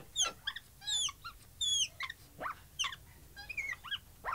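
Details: Capuchin monkey giving high, harmonic chirps and squeaks, some rising, some falling, in irregular clusters with brief pauses between them.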